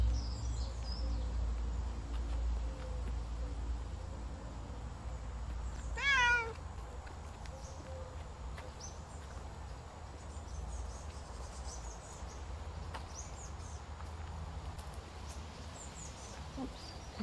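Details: Savannah cat on a summer walk giving one short meow about a third of the way in, a brief rising-then-falling cry. A steady low rumble of outdoor background runs throughout.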